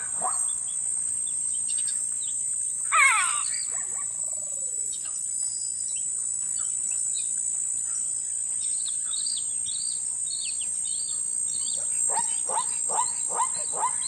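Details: Zebras at Lion Sands Game Reserve call to one another: a loud, harsh yelp, then a quick series of barking 'kwa-ha' notes.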